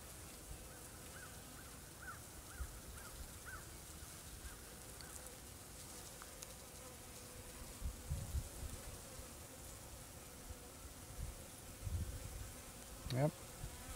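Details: Carniolan honey bee colony in an opened hive in early March, still winter at 40 degrees; the colony is doing well and the dark queen lays a little. A steady low hum with a faint tone runs throughout, plus handling noises.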